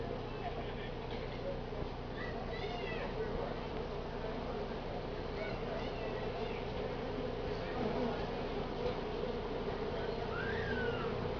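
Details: A honey bee colony found near a daycare in Altadena hums in a steady, dense buzz the day after Independence Day, during a bee cutout at a family barbecue, with faint voices and a few thin whistles behind.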